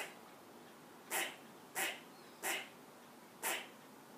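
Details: A squirrel raising the alarm from a perch at a cat in the yard. After a second of quiet come four sharp, noisy barks, each about two-thirds of a second apart.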